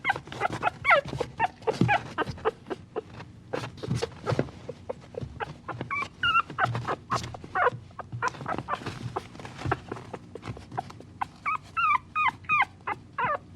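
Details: A puppy gives high, curling whines in clustered bursts amid frequent scratching, tapping and movement noises, with a clearer run of quavering cries near the end.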